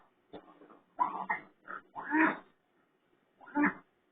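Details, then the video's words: Raccoon making pig-like sounds: five harsh, noisy grunting and squealing bursts across four seconds, some rough and buzzy, separated by brief silences, in a quiet indoor setting. "Raccoon Skinwalker making Pig Sounds"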